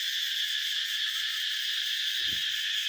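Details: Cicadas crying in the morning in Cambodian forest as the new year approaches: a dense, continuous high buzzing hiss filling the upper range without a break, with faint low thumps underneath.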